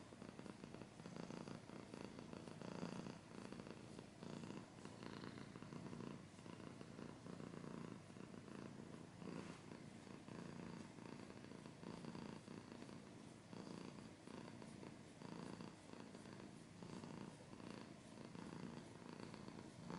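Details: Domestic cat purring, with scratching sounds: a steady low rumbling purr with pulsed texture, alternating inhale and exhale phases, close and continuous throughout, with faint broadband scratching above.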